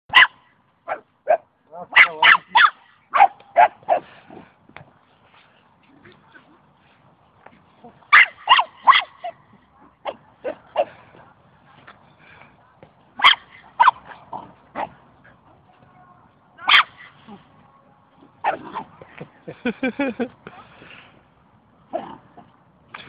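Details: Karakachan dog, described as having a big dog's voice, giving loud sharp barks in bursts of several, with pauses and quieter yips between, over about twenty seconds; a person speaks at times.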